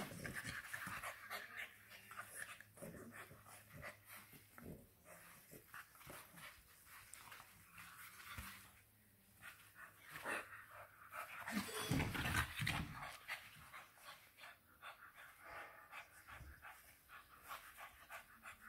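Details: Indoors in Nairobi, Kenya, an English Bulldog puppy, one of the FCI pair Churchill and Mable, pants steadily: hoarse, breathy puffs repeating roughly twice to three times a second, with brief quieter pauses and light handling noises.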